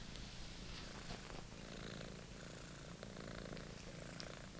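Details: Monty, a British Shorthair kitten, playing with and attacking his old favourite toy: a steady low, pulsing purr runs throughout, overlaid by scratchy rustling and soft thumps from the play.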